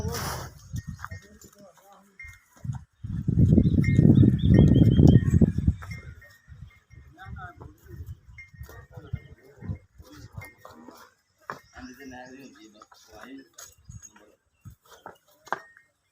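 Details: Nili-Ravi buffalo in Pakistan, offered for sale; one loud, deep, drawn-out moo lasting about three seconds, followed by quieter clatter and scattered human voices.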